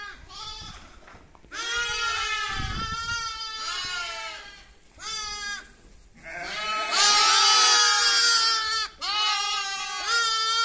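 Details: Baby lamb bleating in long wavering cries with rich stacked harmonics, several calls over ten seconds with brief pauses between, the later ones loud and strained.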